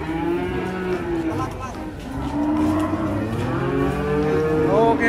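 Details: Cattle coming down from a truck give drawn-out, deep harmonic moos, some rising in pitch toward the end, one after another, with low engine rumble and background noise throughout.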